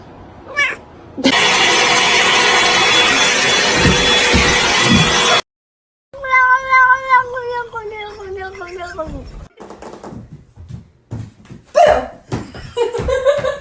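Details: Cat named Luna in a funny cat compilation; after a long burst of loud noise, a drawn-out descending meow stretches over three seconds, followed by people exclaiming and talking.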